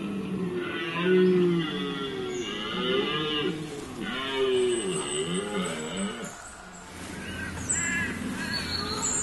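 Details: A red deer stag bellows during the 2017 rut at a wildlife park in Lorraine, France: a deep, drawn-out roar rising and falling in harmonic waves; red deer.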